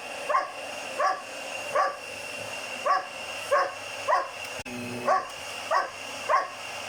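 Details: Hogan, a German Shepherd puppy of 7 months, barks at the loud vacuum he hates; evenly spaced high barks, roughly one every second, against a constant mechanical hum with a brief click midway.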